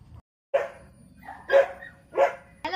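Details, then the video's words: Twelve-day-old Dachshund puppies from a home litter, being brought outside for the first time to start supplements. Three short, harmonic yelping cries come roughly a second apart, with a person talking nearby. "New born dachshund puppy"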